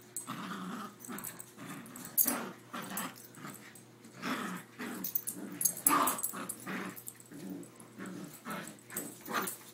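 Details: Two dogs, a Rottweiler and a Yorkshire Terrier, playing tug-of-war with a rope indoors: low, rumbling growls in uneven bursts with sharper snarling peaks, plus scuffling and the rope being tugged.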